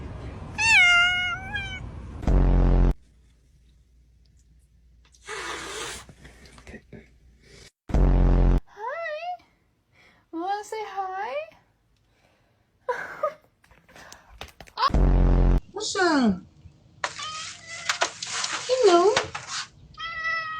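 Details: Cats respond with several harmonic meows, some rising and some wavering, as a person greets them with repeated hellos; speech runs between the calls, and loud low thumps break in.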